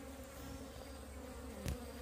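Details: Buzzing of wild bees whose colony has divided, during a move into a cardboard box; a steady, low, drawn-out hum with one sharp knock near the end.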